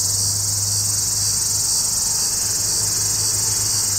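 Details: Hadoa duryi cicada singing from a juniper cluster south of Walsenburg, Colorado, July 2, 2012, 2:38 pm, shortly after the sky clouded over; a loud, level, high buzzing drone continues throughout, with a low background hum beneath.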